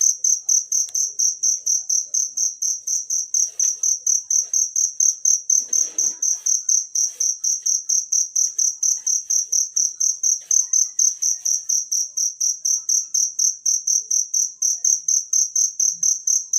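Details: Wild cricket sound meant as a model for songbirds: a continuous train of high, ringing chirps at about two per second, very regular, with a brief faint rustle midway.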